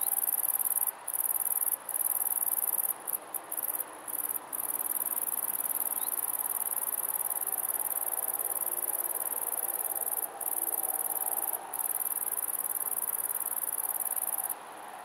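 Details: On 2 September 2011, a male great green bush-cricket (Tettigonia viridissima) sings a loud, continuous, very high-pitched buzzing rattle, broken by brief pauses.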